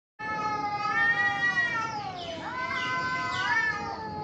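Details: Cats fighting: long drawn-out yowl with rich harmonics, holding steady then dipping and rising again in wavering, siren-like sweeps, continuous for about four seconds with a low background hum.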